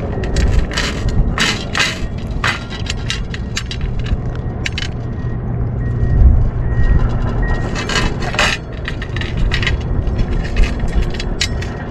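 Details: Strong gusting wind roars and crackles against the microphone, mixed with scraping and rattling, and no animal voice stands out.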